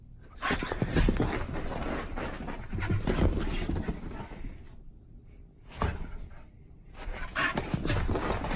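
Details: Luna, a pit bull dog, in pre-bedtime zoomies indoors: rapid, rough panting and scuffling bursts come in fast irregular runs. They break off into a short quiet gap near the sixth second, then resume.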